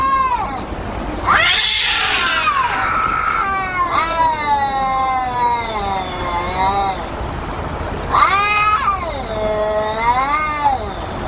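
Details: Kittens talking with long, strained, wavering meows close together, one harsh and raspy, then a pause and another pair of rising and falling cries, background hiss throughout.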